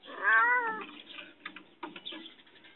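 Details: Confined cat pleading for help gives one loud, drawn-out meow that rises slightly and then falls away over about half a second. Soft clicks and rustling follow afterward.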